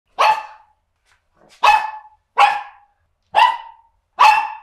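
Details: Little male dog barking his head off: five sharp, bright barks with strong harmonics, spaced roughly a second apart with a longer pause after the first, each cut off cleanly into silence.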